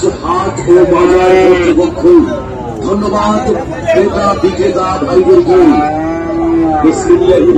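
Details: Friesian and crossbred bulls and calves at Raniganj cattle market, Dinajpur, on 7 November 2024: several overlapping drawn-out moos and bawls, some rising then falling, one after another, over steady crowd chatter.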